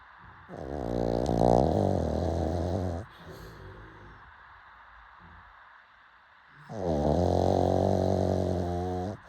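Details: A pug snores late at night, giving two long, grating, buzzy snores about six seconds apart, each a few seconds long, with faint nasal breathing between them.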